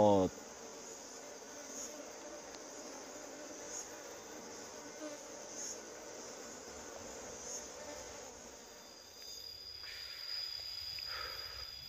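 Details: Honey bees at a wild nest being harvested for honey without protective gear: a dense, steady droning hum throughout, with a sharp knock at the very start and faint higher tones in the background.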